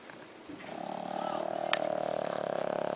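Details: Stinky, a sleeping Shih Tzu with a snoring problem, snores very loudly indoors: a steady droning rasp builds after a soft start and pulses rapidly and evenly to the end.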